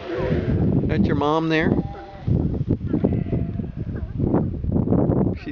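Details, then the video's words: Young sea lion on Santa Fe island, Galapagos, roused near its resting mother; one loud, quavering, sheep-like bleat lasting under a second, with a person's speech before and after. "chuck talking to a sea lion"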